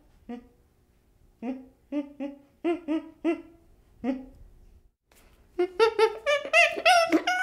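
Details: Chimpanzee infant producing spaced short grunting hoots, then a faster cluster of higher, rising-and-falling whimpering cries toward the end.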